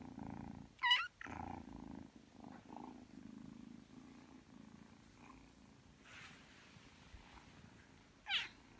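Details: Indoor Ragdoll kitten aged three months purring while kneading before sleep; soft rhythmic rumble underlies two short rising meows, one near the start and one at the end, with faint rustling between.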